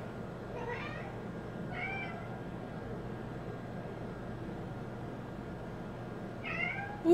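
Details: Female house cat Bean calls at the door while it rains hard outside; three soft harmonic meows, two close together early and one near the end, over steady low room hum.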